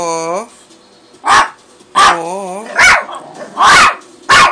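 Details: Carolina, a pet dog, making "her noise" when hungry: a short harmonic whine opens, then loud broadband yaps come about once a second, one followed by a wavering whine, with soft human voices between.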